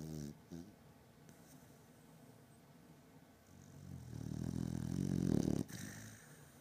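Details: A sleeping beagle called Batman snores in deep sleep indoors: faint low breathing at first, then one long, loud, growly snore swelling toward the end before cutting off abruptly.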